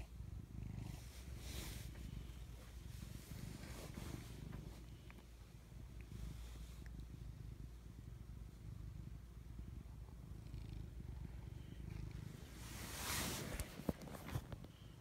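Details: Pet cats asleep indoors, snoring in a low rough rumble that rises and falls with each breath, brief rustling noises near the end.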